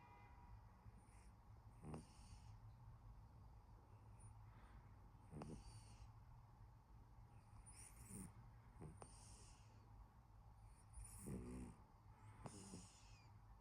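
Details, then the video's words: A pet cat snoring in its sleep: soft, breathy snores that come at irregular intervals every one to three seconds over a steady low hum, each snore a short raspy, rattling burst. "my cat snoring"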